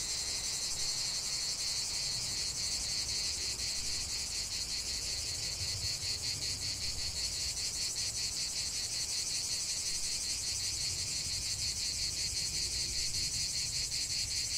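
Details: Cicadas singing in a nature setting: a dense, continuous high buzzing chorus with fine rapid pulsing, steady throughout, and faint low rumble of background noise beneath.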